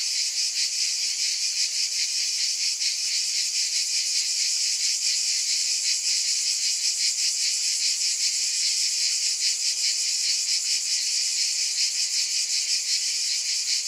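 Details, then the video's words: Many cicadas keep up an unbroken, sizzling high buzz with a faint irregular flicker in volume, and no other animals or noises. "Scintillating Cicadas"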